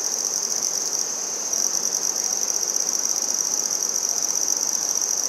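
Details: Handsome trig, or red-headed bush cricket, singing in Maynard, Massachusetts, on 14 September 2019: a steady high-pitched buzzing trill of rapid pulses, holding one pitch and rising slightly in loudness after the first second and a half.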